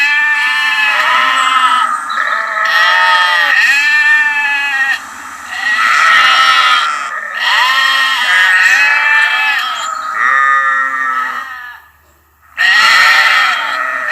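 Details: High lamb bleats running almost continuously, quavering and harmonically rich, overlapping one another, with one brief pause near the end before a final loud call.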